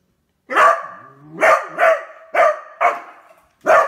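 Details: Excited Beagle discovering a new toy it hopes to chew lets out five resonant, slightly howling barks roughly once a second, each with a drawn, sliding tail between them.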